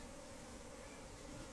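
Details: Honey bees during honey collecting in the Khasi Jaintia region, a steady dense buzzing hum filling the whole moment without breaks.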